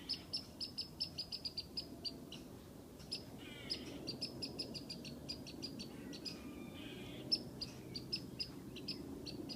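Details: A squirrel whistles at a cat from a tree: quick runs of high, crisp chips, a brief pause, then more chip series and a faint sliding whistle, with low rumbling background.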